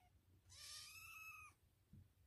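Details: Domestic cat yelling indoors, a single loud, strained yowl lasting about one second, held steady with rich harmonics then dropping off abruptly, followed by quiet room noise and a faint thump.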